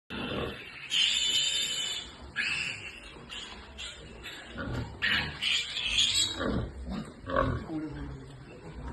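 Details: Pigs on a farm in Nepal squeal: shrill, harsh, uneven cries come in bursts, some drawn out and others clipped, with noisy rustling between them.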